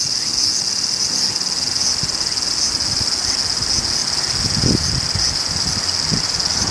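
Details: Large brown cicada giving an unbroken, high, hissing buzz, steady in loudness, while a few soft low thumps and rumbles occur in the background near the end.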